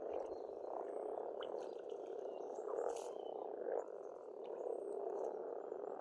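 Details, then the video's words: Frogs calling in spring at a pond on a farmstead in Estonia: a dense, continuous low croaking chorus with steady purring texture throughout, a few faint bird notes higher above. "Расслабляющее пение птиц и лягушек, весна, природа."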